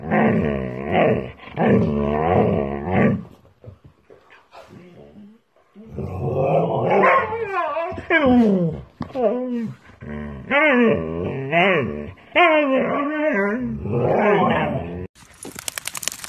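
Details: Key, a pet husky, vocalizes in wavy, grumbling phrases indoors. Long modulated 'talking' sounds are broken by short gaps. Later, quicker rising and falling yelps and whines alternate in bursts, with a few sharp clicks at the end.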